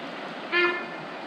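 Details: Sambar deer at Lake William Hovell, North East Victoria, in winter gives a single short, loud honk from somewhere unseen across the river, over the steady rush of the river and rain; it had honked once before.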